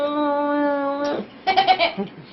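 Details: Pet dog chewing on a blanket and making weird sounds: a steady, droning, nasal whine holding one pitch for about a second, then a pause and several short, rough, grunting bursts, with people talking nearby.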